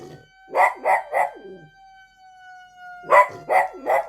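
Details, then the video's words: A dog reacting to a fire-inspection siren, barking in two bursts of three sharp barks with howl-like tails, while a steady siren tone holds underneath. "소방점검 사이렌 소리에 강아지 반응"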